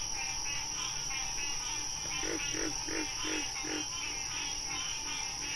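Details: Frog in the wild giving a run of about five quick knocking notes, roughly three per second, standing out above a constant rasping, pulsed chorus of other callers and a steady high-pitched hiss.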